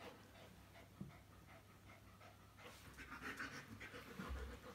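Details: Two Bearded Collies playing together; fast, breathy panting repeats several times a second, growing louder and busier in the second half, with a few soft low thumps.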